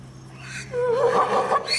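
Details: A zebra gives one short, harsh, nasal call lasting under a second. It begins low, bends upward, then wavers before breaking off, after a quiet opening with a faint steady background hum.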